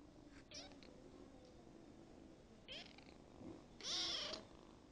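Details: Kitten ten days after adoption gives three thin, high meows: two brief faint ones early, then a louder, longer drawn-out meow near the end, over a soft steady low background hum.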